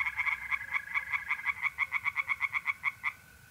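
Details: Tree frog in a pond on a mid-April night in north-east Italy: a quick burst of about eighteen sharp, nasal croaks in three seconds, evenly spaced, with a mole cricket's continuous trill behind.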